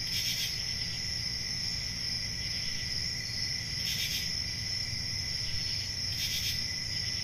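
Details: Country summer night ambience of crickets: continuous piercing high trill, with three brief buzzy bursts at the start, near four seconds and past six seconds, over a faint low hum.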